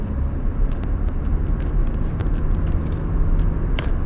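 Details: Loud engine rumble from inside a running car, with scattered clicks and no animal sounds.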